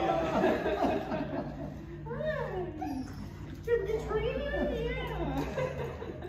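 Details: Siberian Husky Coco at a reunion with her owners gives wavering, rising and falling whining howls, several sliding notes in a row, amid people talking and laughing indoors.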